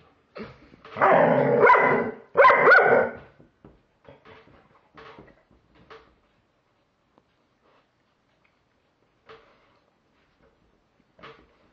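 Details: German Shepherd facing a Halloween pumpkin: two strong barks early on, then faint snuffling, small huffs and near silence to the end.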